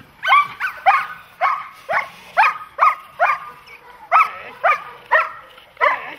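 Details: Dogs, German Shepherds and Malinois, in protection training: loud repeated barks at a brisk, somewhat uneven pace, about two per second, each bark a sharp harmonic burst, with little other background sound.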